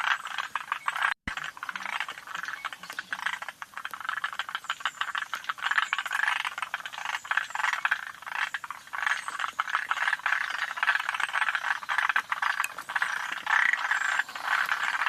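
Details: Forest green tree frogs at Yoshitani, Japan, June 2025, calling together in a thick unbroken chorus of rattling, chattering croaks, with one brief dropout near the start.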